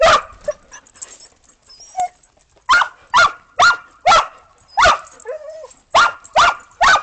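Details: Playing in fresh snow after a storm on 15 December 2022, Australian Shepherds and a Boston Terrier bark repeatedly, about two barks a second in bursts, with a short whine in between.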